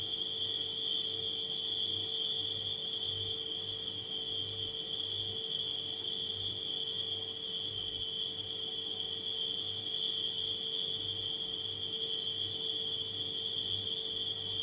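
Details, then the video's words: Nighttime crickets mixed with a refrigerator's steady hum: one continuous high, even trill runs throughout, with softer, higher chirps in short bursts, over a low, pulsing mechanical drone. "Crickets & Refrigerator Humming Sound"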